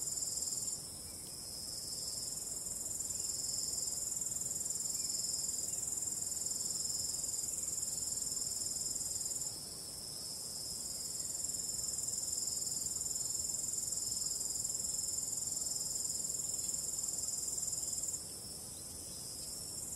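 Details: Crickets calling at night with a soft wind, a high, rapidly pulsed chorus that drops in volume twice, then swells back up.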